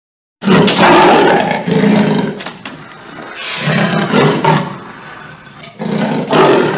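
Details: Leopard giving loud, harsh, rasping roars in several powerful bursts, each lasting about a second with short gaps between, rough and grating with deep throaty tones.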